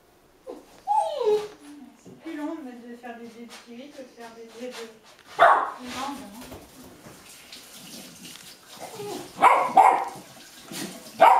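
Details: Hungry Golden Retriever puppies, eight and a half weeks old, hop about impatiently while their meal is prepared in Haute-Savoie, France, in January 2013. High whines slide up and down, with a few sharp yelps and barks in between.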